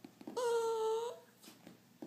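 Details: Pet dog indoors, taught to sound like a cat on command, answers with a single smooth, steady, mewing whine lasting under a second, rich in overtones and falling slightly at the end; the owner's prompting voice and praise are heard around it.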